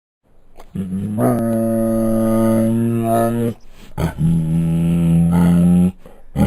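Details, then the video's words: Bengal tiger at Luján Zoo, captive, giving two long, deep, harmonic roaring groans: a steady three-second call, a short pause, then a second sustained call of about two seconds, with no other sounds. "Bengal Tiger Sound Effect"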